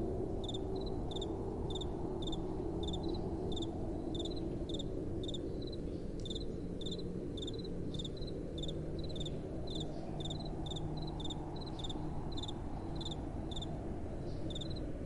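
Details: Crickets chirping through the night with soft wind: quick high chirps repeated steadily, bunching more densely in the middle stretch, above a broad low wind noise.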